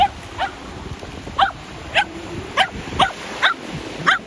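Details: Shetland Sheepdog playing ball at the sea, with an air shooter ball launcher in use: sharp high barks and yips repeated roughly every half second, over low wind and surf rumble.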